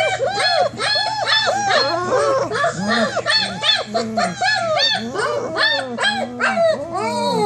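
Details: A litter of 27-day-old German Shepherd puppies whining in the whelping box, ready to come out and play: dense, continuous chorus of overlapping arched whimpers and yips, some low groaning notes mixed in, over a faint steady hum.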